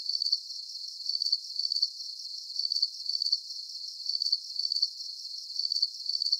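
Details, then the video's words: Soothing nighttime cricket chirps: piercing short pulse-trains in doubled bursts, recurring at a steady rhythm with a faint hiss underneath and nothing else heard. "Calming Cricket Sounds"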